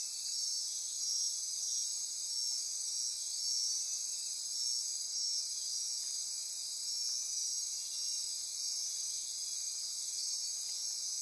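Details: Midnight insect chorus from lush forest on Costa Rica's Osa Peninsula near Corcovado: constant high buzzing and trilling in stacked bands, with faint rhythmic pulsing in the upper layer and nothing else clearly heard.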